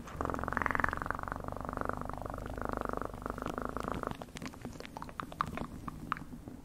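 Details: Domestic cat purring up close: a steady, buzzy pulsed rumble for about four seconds, then fading into soft clicks and small handling noises.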